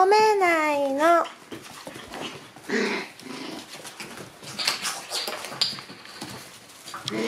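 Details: Shiba Inu puppies playing and biting each other indoors; a high whining yelp with wavering harmonics opens, then scuffling, soft grunts and chatter of a person talking over the play.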